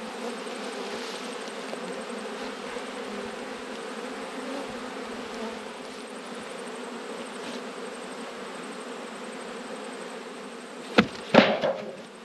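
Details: Steady, even drone of a honey bee colony checked in autumn, the hum holding level for about ten seconds before loud clattering knocks near the end.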